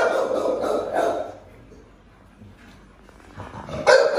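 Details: Pit Bull being fed pork fat: three short, harsh barks in the first second, then a quiet stretch with faint background noise, ending in a sharp burst of sound and human voices.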